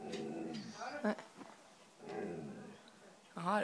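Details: White female Siberian Husky 'talking' indoors, asking for cheese doodles: drawn-out, wavering, moaning vocal sounds that rise and fall in pitch, with a louder yodel-like burst near the end and a person's voice mixed in.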